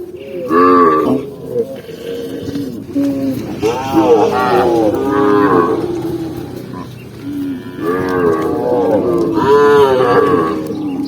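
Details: Tame cows herded down a green rural hillside, running together; several loud moos rise and fall, with a cluster near the start, more in the middle and two near the end, over a steady low murmur.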